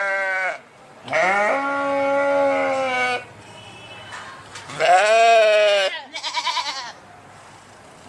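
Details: Sheep giving drawn-out, slightly falling baas about two seconds long, followed by a short trembling bleat, separated by quiet stretches.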